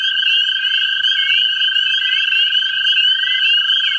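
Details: American toads in a central Ohio vernal pool give long, steady musical trills in an unbroken chorus to attract mates.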